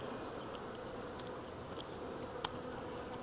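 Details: Buzzing of a wild honey bee swarm during capture from a tree branch; even, humming drone throughout, broken by a sharp click midway and faint high ticks.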